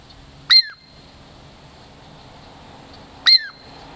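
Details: Douglas squirrel named Girl Squirrel, a native Puget Sound lowland squirrel, coming in for a treat, gives two piercing, downward-sliding whistles nearly three seconds apart against quiet background hum.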